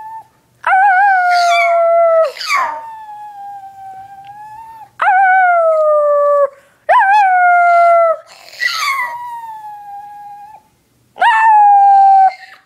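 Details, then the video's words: Onyx, a pet dog, howling in long sustained tones, each howl a steady falling note lasting one to two seconds, about five howls separated by short breaths and softer whimpering tails. "Onyx Howls and sneezes all in one video. Funny Dog."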